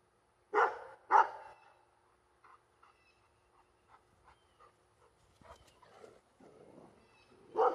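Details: Female Labrador Retriever barking at planes in the sky: two loud barks in quick succession, then a stretch of soft clicks and faint whines, followed by another loud bark at the end.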